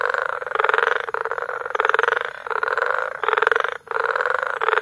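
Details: Frogs in full chorus at Bagamoyo, Tanzania, in May, harsh buzzing pulse trains rising and falling in loudness, with a couple of short gaps breaking the dense calling.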